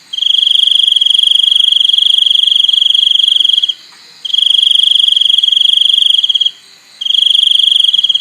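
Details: Cricket song: a continuous piercing high trill held nearly four seconds, then a brief gap, a shorter burst of about two and a half seconds, another pause and a final trill cut off at the end.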